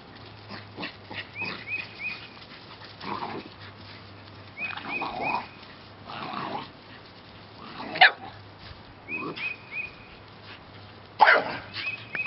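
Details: Rescue puppies from the J litter, recorded March 2017, give a string of irregular barks and yips across twelve seconds, two louder than the rest, with soft high chirps recurring in the background.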